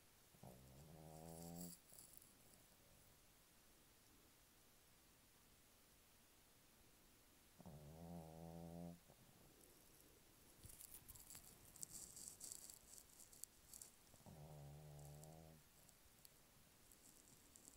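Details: Royce, a male Pekingese dog, snoring while asleep: three drawn-out rumbling snores spaced about seven seconds apart, each lasting roughly a second, with quiet breathing and faint rustling between.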